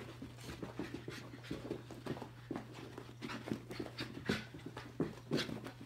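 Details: Shiba Inu named Chiba, stir crazy during indoor zoomies on May 6, 2021: rapid rhythmic panting breaths with soft huffs, a steady low electrical hum running underneath throughout.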